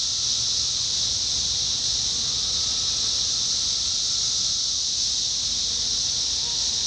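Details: Massed 17-year cicadas in Indiana in summer 2021 produce an unbroken, shimmering high drone like a hiss held at one pitch, with fainter, lower whining phrases occasionally rising and fading beneath.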